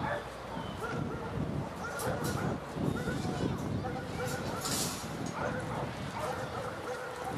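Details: Cane Corso dogs raised in a family setting by a breeder; short, repeated barks and yips with a few whimpers, mixed with people talking throughout.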